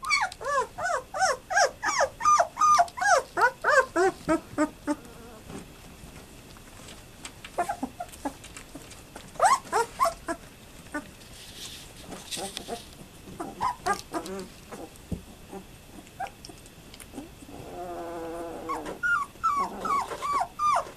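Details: A litter of German Shepherd puppies aged 12 days, born to Fan-Widi's HIPPI and sired by Koby von Fidelius, whimper in a fast run of arched squeaks, then quieter scattered cries with shuffling, and a final burst of whines; November 18, 2012.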